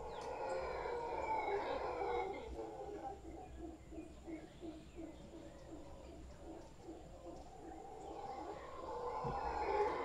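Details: Large wild howler monkey troop in a tree in Guanacaste, roaring steadily while pulsing, rhythmic grunts run through the middle, the deep chorus swelling again toward the end.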